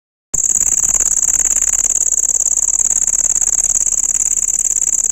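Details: Cricket producing a shrill, piercing, very high-pitched trill that starts after a moment of silence and then runs unbroken, made of rapid even pulses at a steady loudness, with no other sounds.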